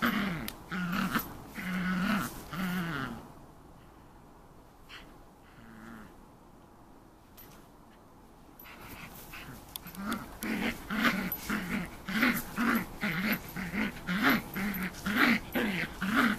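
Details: Eleven-week-old Shetland Sheepdog puppy named Rhea at play with a toy: bursts of low, wavering growls, then several quiet seconds of shuffling, then rapid rhythmic growling resuming at about one per second.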